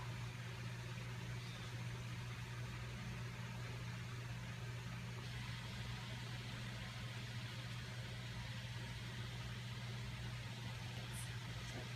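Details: A constant low engine-like hum with broadband noise fills the whole stretch, with no barking or other animal sound.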